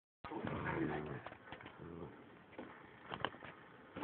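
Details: Two pet dogs growling as they fight over a bone in a tug-of-war. Low, rumbling growls with layered harmonics come in bursts through the first second, then again near two seconds, with softer scuffling between.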